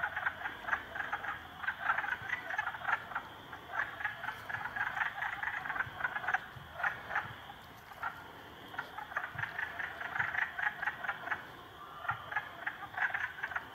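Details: Three frogs ganging up on a salamander, giving rapid pulsed croaks in dense bursts throughout, with short pauses between rattling runs and a faint hum underneath.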